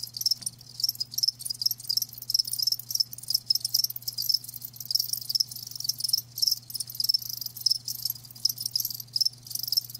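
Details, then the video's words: Dense chorus of live crickets, natural ASMR sound: rapid, almost continuous high trilling chirps with brief gaps, a low steady hum in the background. "Live Crickets 60min "Natural Sound""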